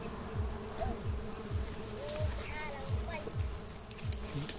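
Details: Natural honey bee colony nesting near a house: a continuous droning hum holds steady throughout, with rhythmic low thuds about twice a second and faint scattered clicks.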